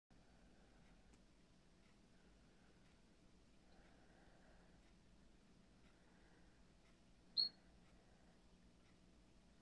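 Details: Captive glass frog giving a single brief, high, thin chirp partway through an otherwise quiet stretch with faint low room hum.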